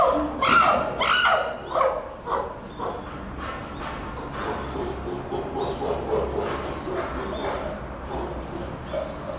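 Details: Captive chimpanzee at Tennoji Zoo, Japan, December 2021, crying out: two loud, shrill harmonic screams in the first two seconds, then fading hoarse calls over a steady murmur of background noise.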